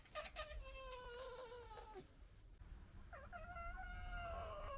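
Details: Local red fox family in disagreement: long, wavering whining cries with clear harmonics, a brief quick stutter at the start, a pause, then another sustained rising-and-falling whine over low background rumble.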